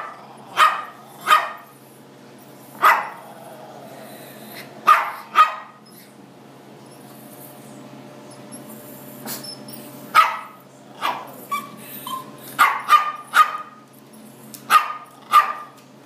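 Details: Chihuahua mix dog going after a blue lobster in a fish tank: shrill single barks come in irregular bursts, with long pauses, then a quicker flurry of yaps near the end, over a faint steady hum.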